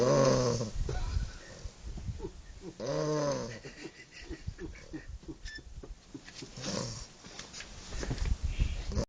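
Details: English Bulldog snoring, a rattling, buzzy inhale at the start and another near three seconds, with soft clicking and snuffling sounds filling the gaps and a louder rasp at the end.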